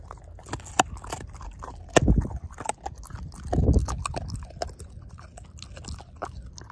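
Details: Pork steak being devoured by the dog Ozzie, jaw chomping down on the bone; irregular crunching with two heavier grinding bursts around two and three and a half seconds, crisp clicks between.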